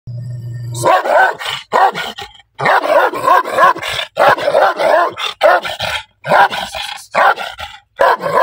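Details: Angry black dog barking loudly: after a brief low steady hum, harsh rough barks come in quick bursts, roughly one per second, some doubled, with short silent gaps between volleys.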